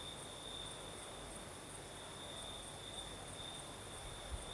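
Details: Night chorus of crickets in southern Crimea with a light night breeze: an unbroken high-pitched trill that pulses gently, a thin higher overtone above it, and low wind rumble underneath.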